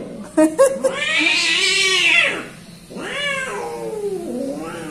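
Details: Orange cat, timid in manner, letting out a long drawn meow that swells and falls, then a second shorter arched cry and a soft trailing wail; a few sharp taps at the start.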